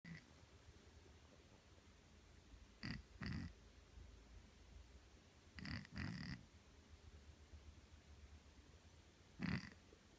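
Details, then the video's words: Neutered feral male cat, now let indoors during the day, asleep; short soft snoring breaths come in close pairs a few seconds apart, with a single louder snort near the end, over a quiet low room hum. "Snoring Cat"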